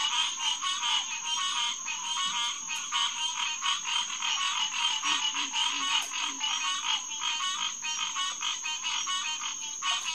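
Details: Green tree frogs in a dense night chorus at the Headquarters Pond, SMNWR, on June 2, 2021, around 9 to 10 pm: overlapping nasal, honking calls in rapid pulses, steady high band throughout, faint low grunts beneath.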